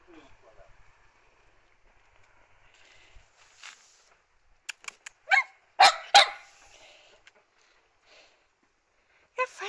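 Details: Young dog barking outdoors on a rural Polish farm that also keeps runner ducks, chickens and a kitten; a few short, sharp barks in a quick cluster after quiet talking, with a woman praising the puppy's barking.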